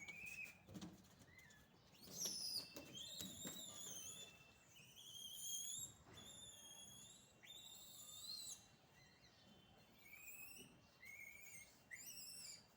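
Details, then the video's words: Village monkeys, described as naughty, keep up a long series of piercing, tonal calls. Each rises and then plateaus. Calls overlap and repeat every second or so, over low background rustle. "naughty monkeys...real video ,no cut no sound effect..."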